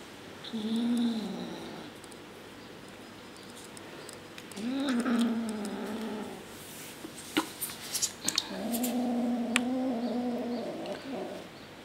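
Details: Pepsi the kitten guards shrimp and will not share it, giving three drawn-out, wavering low growls several seconds apart; scattered clatter and tapping noises sound between them in a small room.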